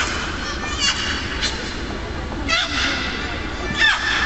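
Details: Captive beluga whales at the Minsk Dolphinarium, their voices likened to crying babies: a few short squealing calls with stacked harmonics and brief broadband bursts over a steady hiss.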